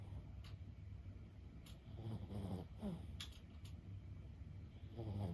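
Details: Quiet snoring from Lulu, a sleeping 15-year-old Boston Terrier, heard as soft, faint rattling breaths near the middle and end, under a low steady hum with a few light clicks.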